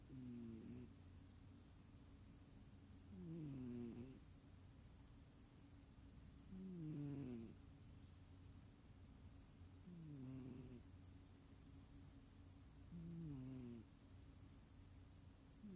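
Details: A sleeping cat snoring, not purring: soft, low, rising rasps come in steady breaths about every three seconds over a constant background hum and a faint high whine.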